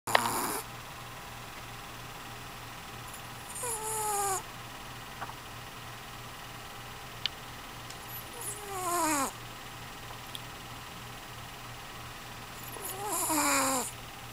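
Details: A sleeping dog snoring: three breaths, one about every four to five seconds, each a short wheezy rasp with a thin falling whistle. Between breaths there is a steady low hum.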